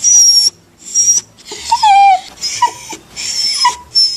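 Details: Dog crying and whining, puppies among the callers: short high squeaky whines alternate with wavering cries that slide downward, in bursts about every half second to second with brief silent gaps.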